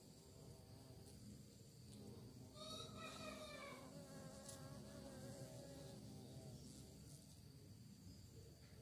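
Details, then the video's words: Dense, continuous low drone of bees described as searching for prey, with a single bee buzzing loudly close by midway, its harmonic whine bending down as it passes, then the background hum returns. "Lebah Mencari Mangsa, Suara Lebah"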